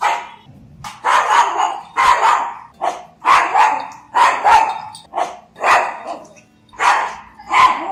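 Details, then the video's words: A pug gives repeated harsh barks, around ten bursts in eight seconds, fairly evenly paced with short gaps and soft background music. "Pug Dog Barking"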